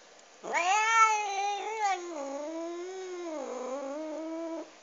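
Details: Cat eating a duck bone lets out one drawn-out, tonal yowl lasting about four seconds, starting loud and bending up and down in pitch before fading, inside a quiet space.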